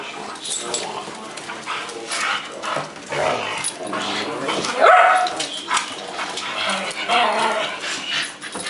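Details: Several pet dogs fussing and begging a person for a bite of food: a group of small dogs, including a visiting Pekingese. Whiny yelps and short barks come in uneven bursts, with a louder yelp midway, over human speech.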